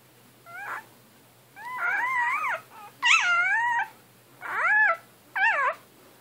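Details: A one-day-old male blue merle Great Dane puppy whines in wavering, rising and falling cries.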